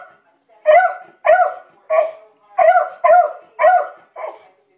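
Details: Beagle named Libby barking while watching dogs across the street: seven loud harmonic barks, each with a brief rising-falling yelp shape, spaced roughly every half second with short silent gaps.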